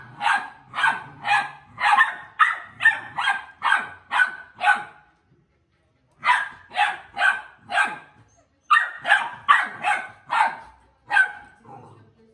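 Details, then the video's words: American Pit Bull Terrier puppies play-fighting: bursts of sharp, high yappy barks repeated rapidly, about two per second, in three runs separated by short pauses. "Pitbull Puppy Fighting"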